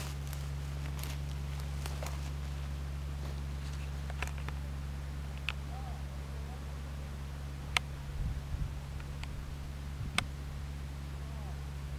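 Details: Low steady hum under scattered sharp clicks and knocks; no clear animal call heard.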